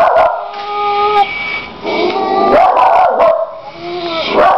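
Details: Pet dog reacting to a crying dog playing on a computer: tonal whining and yelping cries with clear overtones, broken by sharper bark bursts, rising and falling over several seconds indoors.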